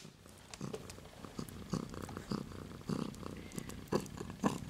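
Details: Siberian kittens aged 2 and 3 weeks, two silver girls from a cattery litter, purring indoors: a steady low rumbling throb pulsing in soft bursts, with faint handling rustles and small clicks.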